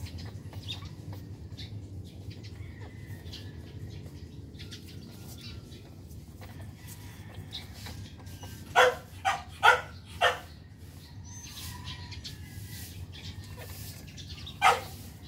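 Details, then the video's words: Newborn Shih Tzu puppies, one day old from Athena's litter of six born February 10, 2020, give four short, sharp cries in quick succession, then one more after a pause, over a steady low hum. "ADORABLE SHIH TZU PUPPIES | NEW BORN"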